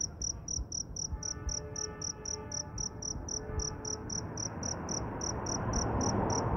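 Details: Cricket roaming after rain in search of a mate, chirping very loudly: short, sharp, high pulses repeated about four times a second at a steady beat over a rushing, noisy background.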